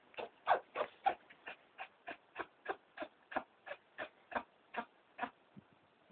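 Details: Pregnant New Zealand White doe with Pasteurella, two weeks into pregnancy, gives a rapid train of about sixteen short, snuffly sneezing bursts, roughly three per second, strongest at the start and fading slightly toward the end.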